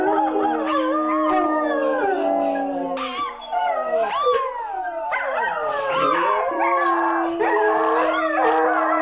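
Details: Dog howling in a chorus of overlapping voices, long level wails alternating with sharp upward swoops and falling slides, briefly dipping quieter partway through before resuming full and sustained.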